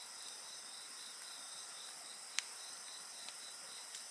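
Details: Continuous shrill insect chorus on several high pitches, humming evenly, accompanied by the campfire, which gives one sharp crack midway and a couple of softer pops.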